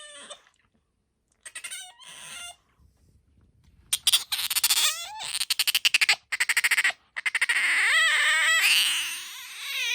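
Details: Pet otter named Bingo, described as having a high soprano voice compared with aquarium otters, sometimes calling near the ear; high, harmonic squeals and rapid chirping bursts, with pauses between, building to a long sustained squeal near the end.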